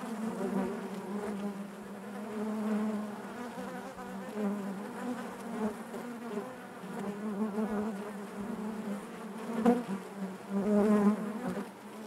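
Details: Honey bees buzzing naturally inside their hive: a dense, steady low drone with layered harmonics, swelling and fading in loudness, with occasional brief louder passes of single bees near the end.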